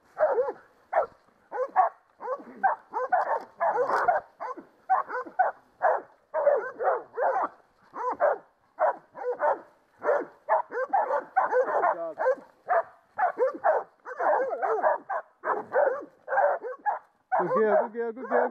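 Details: Baying Catahoula dogs holding a creek boar at bay, 2012, deliver rapid, almost continuous rough barking for many seconds, barks overlapping in a steady frantic rhythm, closing with a lower drawn-out growling note.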